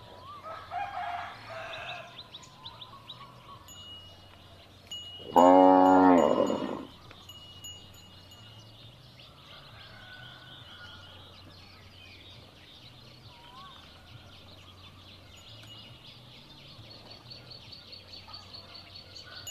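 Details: Cow calling, for playback when searching for a lost calf; a single loud, strongly harmonic moo of about two seconds stands out midway, while soft tinkling chimes and quiet bird chirps fill the rest.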